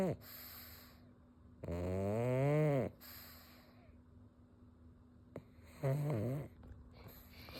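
A pug snores loudly, each rasping breath a low, harsh rumble rising and falling like a chainsaw.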